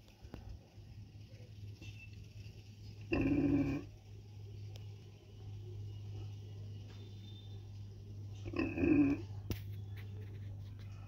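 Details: A street mother pig with her piglet gives two loud, rough grunting calls several seconds apart over a steady low hum.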